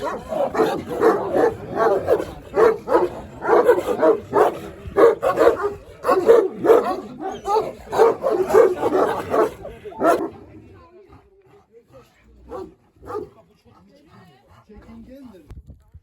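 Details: Kangal dogs at Kuşkayası village in Kangal, Sivas, Turkey, barking rapidly and repeatedly for about ten seconds with a man speaking over them, then quiet with a few scattered yelps.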